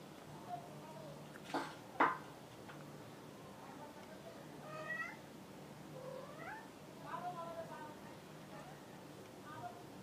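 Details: Cat meowing indoors: a few rising, wavering meows spaced about a second apart in the second half, with earlier short clicks and knocks and a steady low hum underneath.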